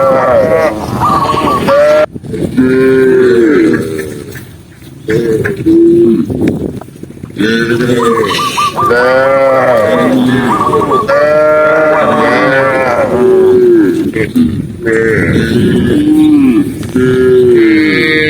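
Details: Several overlapping moos from a herd of tame cows moving calmly along a green forest path, arching calls following one another throughout, with human voices and exclamations mixed in.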